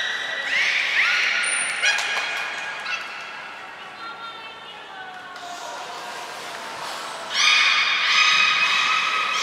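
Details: Training session of the belugas Nana, Mirai and Niko, Port of Nagoya Public Aquarium, 22 May 2022; layered harmonic whistles sliding downward, then a louder burst of stacked tones near the end, reverberant indoor space.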